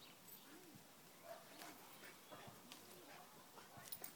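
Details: A Rottweiler, apparently with socks it loves, makes soft, low, arching whimpers and grumbles, repeated in short bursts.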